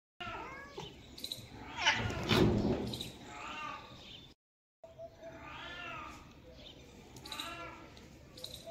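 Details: A family of domestic cats with kittens, giving short arched mews in quick succession. A loud rustling burst comes early, then a brief silence, then several thin, wavering meows.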